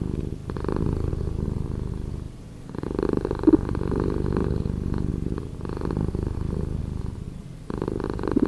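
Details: Domestic cat purring, slowed down in editing: a deep, steady rumbling throb that swells and eases in long breathing cycles, softening briefly around two seconds and again near the end.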